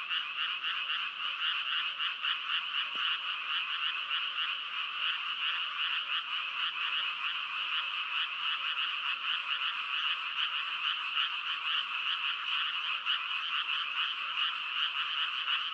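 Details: Long stretch of frog chorus, countless overlapping croaks merging into an even, rattling drone that stays steady throughout, with only a faint brief click early on.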